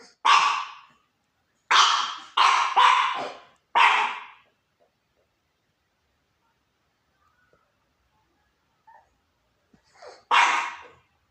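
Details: Little pup on a couch barking at the neighbours: a quick run of five sharp, high yappy barks within about four seconds, then a long quiet stretch with faint small noises before one final loud bark.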